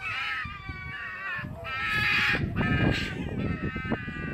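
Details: Loud screaming from fighting foxes at Fox Village, Japan, a continuous harsh, harmonic wail rising and falling in pitch, broken by short noisy bursts and scuffles, several voices overlapping throughout.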